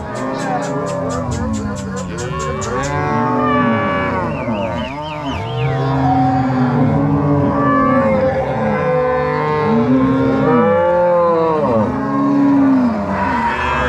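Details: A crossbred Angus-Nelore cow herd driven by three cowboys and six dogs from corral to pasture at Fazenda São Matheus, Ortigueira, Paraná, Brazil, on 16 March 2022; many overlapping low moos and bellows, with a rapid clicking rattle at the start.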